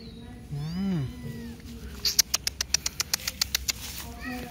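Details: Feral cat, described as pretty and affectionate, gives a single arching meow that rises then falls, followed by a rapid series of sharp regular clicks and background music.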